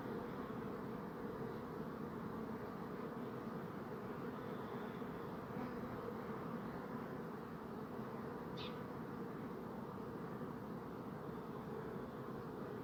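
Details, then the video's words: Many bees make a continuous low, even droning buzz throughout, with a short sharp tick and faint thin whines above the hum. "Bee Buzzing Sound"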